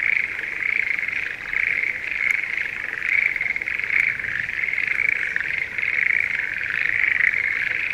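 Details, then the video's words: Schlegel's green tree frogs in breeding season in a rice paddy near Sendai, Japan, in spring; a dense chorus of rapid, rattling trills overlapping continuously in a steady, high band, with no gaps across the whole stretch. "シュレーゲルアオガエルの鳴き声Voice of schlegel's green tree frog"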